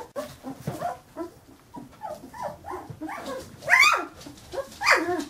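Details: Young Carolina Dog puppies, fifteen days old, making a rapid run of overlapping little whimpers and squeaks, building to two piercing high-pitched squeals toward the end.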